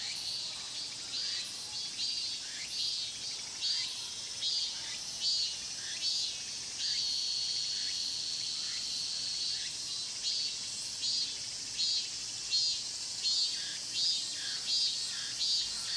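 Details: Cicadas in the Mokgye pine grove, Cheongsong, Korea, filmed with a Panasonic LUMIX GX9: a high ringing drone punctuated by regular loud buzzing pulses roughly every 0.7 seconds throughout, swelling and easing in volume.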